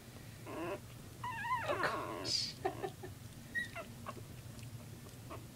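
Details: Puppies playing together, giving short high yelps and wavering whines in quick irregular bursts, with a few soft thuds and faint rustling between calls.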